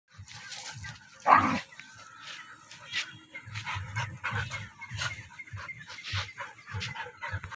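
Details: Rottweiler fighting another dog, with one loud sharp bark followed by repeated low growls and snarls, scuffling, and a voice in the background.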